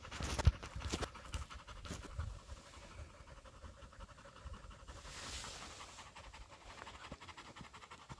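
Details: Breathless husky panting during a chase after a pregnant deer in a South Korean mountain forest: quick regular huffs across the whole stretch, a thump near the start, faint rustling of undergrowth.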